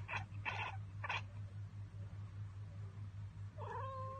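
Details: Cat making its 'ekekeke' chatter at an unreachable bird or insect: three quick, harsh chattering bursts in the first second, a pause, then a short level, whining chirp-like note, with a steady low hum throughout.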